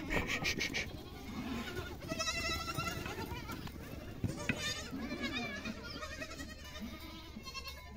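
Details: Several goat kids bleating at feeding time in Siri, April 2024, with overlapping tremulous cries one after another, set against background rustle and a steady low hum.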